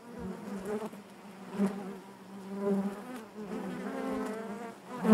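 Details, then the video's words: Inside a honey bee hive: a continuous low droning buzz, rich in overtones, rising and falling in waves with a loud swell at the close. "bees therapy hive natural buzzing sound"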